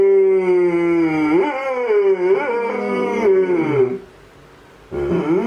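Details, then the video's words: Male Alaskan Malamute howling in response to a siren, with a female dog in the background. The sustained, wavering howl rises and dips for about four seconds, then pauses, and a second howl begins. "Malamute Tarski howling to siren - Malamut Tarski und die Sirene"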